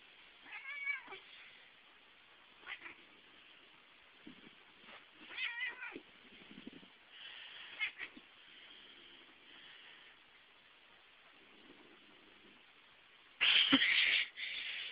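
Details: Pet cat attacking when someone tries to pet it, indoors: several wavering, whiny meow-like growls and moans spread over the first half, then a loud, harsh, breathy hiss burst near the end.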